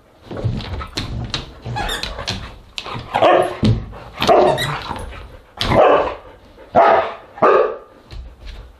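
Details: Several Siberian Huskies at dinner time, recorded 10 August 2022 indoors; a run of loud yowling, talkative barks and howl-like vocalizations in uneven bursts, with rustling and household noise.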